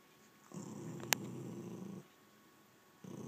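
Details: Rat terrier Nugget and American Staffordshire terrier Mako contest a bed indoors; a steady low growl runs for about one and a half seconds, broken by a sharp click, then a second growl starts near the end.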